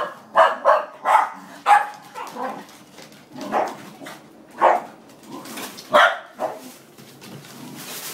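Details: Several Scottish terriers bark to chase a noisy Pizza Hut delivery motorbike away: sharp, mid-pitched barks in uneven bursts, roughly one every second, with steady background music underneath.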